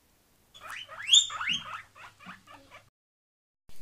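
A guinea pig wheeks, giving a series of high, rising squeaky whistles to beg for food.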